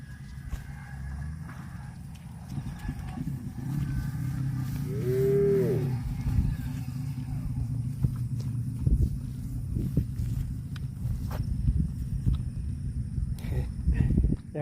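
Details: Domestic cow mooing: one low, drawn-out moo rises and falls over a few seconds near the middle, set against a steady low rumble with scattered knocks and clatter throughout.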